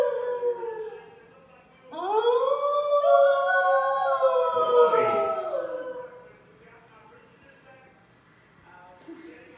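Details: Two young male New Guinea singing dogs howl their morning song together in long, wavering, overlapping tones that slide upward and hold.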